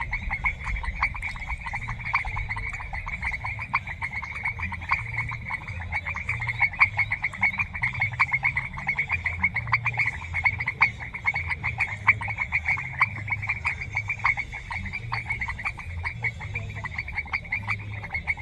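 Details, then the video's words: Chorus of many frogs in semi-humid rural grassland, natural ambience without added music: rapid, continuous clicking pulses packed closely together, overlapping callers forming a constant buzzy band, over a faint low background hum. "Sonido de Ranas | Ambiente Natural en un Pastizal Semihúmedo"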